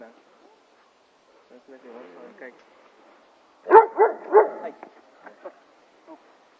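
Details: Blake, a neutered male Weimaraner known for pulling on the leash and barking at other dogs, gives a quick run of three barks after quiet murmuring; a person then calls him on.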